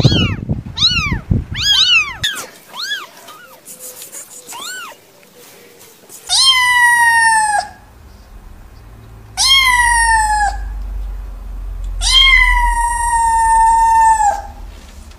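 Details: Cat opening with quick, short chirping meows, then three long, loud, drawn-out meows with a falling tail, each lasting over a second, over a low rumbling hum.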